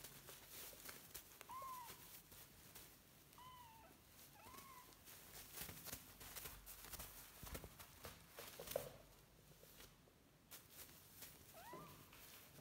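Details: Kitten calling indoors with a few short, rising-then-falling mews spread across the recording, faint and thin, over soft rustling and background noise.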